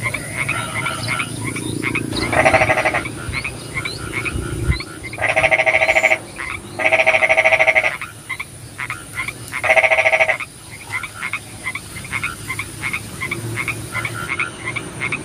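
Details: Rainy nighttime frog chorus with several loud, rattling pulsed bursts, each about a second long, breaking out above a background of many rapid, chirping croaks and constant hiss.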